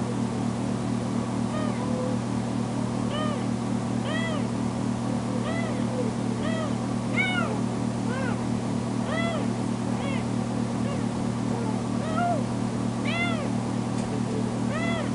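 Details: Loud, insistent crying from a recently spayed female foster kitten left alone indoors: roughly fifteen arched, tonal meows in quick succession, varying in pitch and length, some bright and strained, over a continuous low droning hum.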